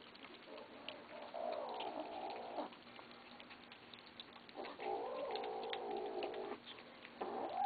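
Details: Eating kittens growling at one another: two long, rough, sustained growls with a slight wavering pitch, separated by a quieter pause with small clicks of feeding.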